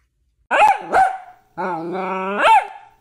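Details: Miniature dachshund giving two sharp, ringing barks, then a drawn-out, wavering howl with strong harmonics that rises at the end into another bark-like yelp. Indoors, no other sounds.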